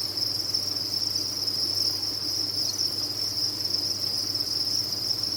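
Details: Massed crickets at a cricket farm, used as tinnitus therapy, produce a constant piercing chirr at one high pitch, smooth and unbroken, accompanied by a faint low mechanical hum.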